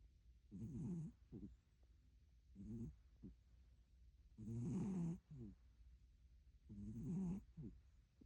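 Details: Pet cat snoring indoors: slow rough snores about every two to three seconds, each a buzzy low breath followed by a short softer puff.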